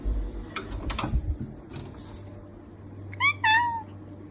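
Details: A cat meows twice near the end, a short note and then a longer one falling in pitch, after soft knocks and quiet room noise.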